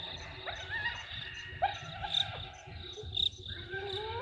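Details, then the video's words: Hyenas very excited about something at Gowrie dam waterhole, Djuma Game Reserve, Sabi Sand Wildtuin, South Africa, 15 November 2023, on a live waterhole camera. Rising and falling tonal squeals and slides over a steady high cricket chorus. "Audio of Hyenas very excited about something"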